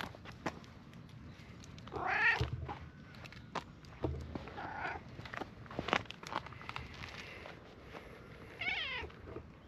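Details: Brown-and-white stray cat in a park in Japan, met again after a long time, rolling over to show its belly; short rising meows among rustling, clicks and handling noises.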